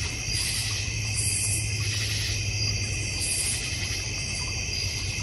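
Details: Crickets in a backyard in the North Georgia Mountains with a koi pond and fire pit: a dense, steady, high-pitched chorus of shrill trills that swells and fades in slow waves, over a constant low hum.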